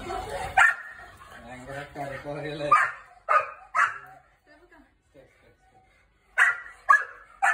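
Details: An angry one-year-old Labrador and a German shepherd puppy meet for the first time. A whining, growly stretch gives way to spaced, sharp barks, with quieter pauses and a final cluster of barks.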